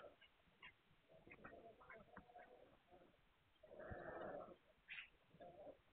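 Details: Hungarian Vizsla pups, 9 March 2021. Low murmuring grunts lead into one loud, strained whine held for nearly a second, then a brief high squeak and a softer closing whimper.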